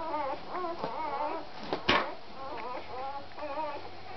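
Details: A puppy whimpers during Cha Cha's feeding. Strained, wavering squeals repeat in quick groups, and a sharp click cuts through midway. The room sounds small and indoors.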